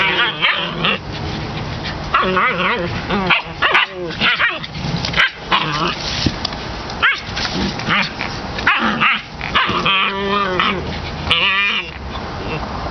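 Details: A litter of puppies plays with littermates in October 2015: short yips, whiny rising cries and scattered barks come in quick bursts. Human voices and handling noises overlap the calls.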